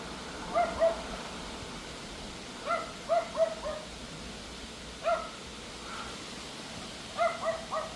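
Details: A Pomeranian barks at a howling wind storm on an August evening around 7 pm, in short, sharp bursts of two or three yaps, repeated every few seconds.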